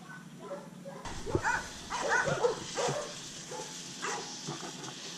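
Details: Undersocialized rescue Rottweiler Catahoula Leopard Dog mix named Pablo Pinto, from South Florida's Redlands area, lets out a run of low, rough barking sounds that fade into softer grunts within a few seconds.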